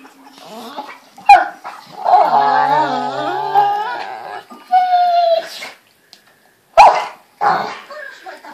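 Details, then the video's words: Playful Pit Bulls in bed in the morning: a long warbling moan, a high thin whine, then sharp yelping bursts separated by brief silences, all close and loud indoors. "Pitbull funny sounds in the dark"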